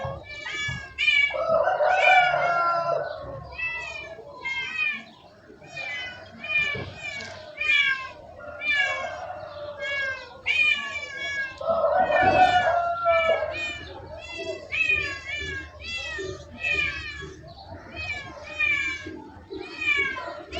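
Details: Pet cats give a rapid string of thin, high mews that slide downward, interspersed with deeper, longer meows, with human speech in the background.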